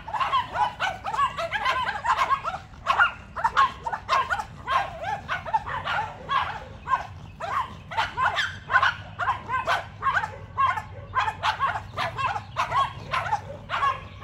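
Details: Yorkshire Terrier barking at two neighbour's dogs in a battle of barks; rapid, uneven series of short sharp barks, roughly two per second, with several dogs' voices overlapping throughout.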